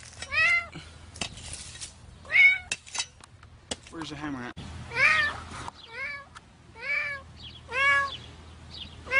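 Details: Cat trapped in cement concrete, meowing repeatedly in loud, arched calls that bend down in pitch, with sharp tapping and knocking sounds between them and brief human speech nearby.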